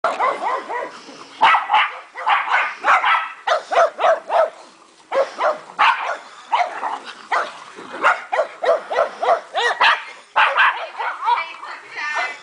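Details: Several dogs playing together in a backyard dog park on 29 March 2008, giving a steady stream of short, overlapping barks and yips, bursts following each other with barely a pause, a few higher squeaky yelps mixed in.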